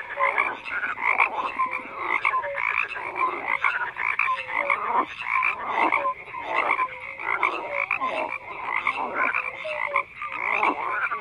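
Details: Croaking frog chorus, dense rattling calls overlapping continuously, with short tonal notes recurring at regular intervals and the loudness rising and falling in waves.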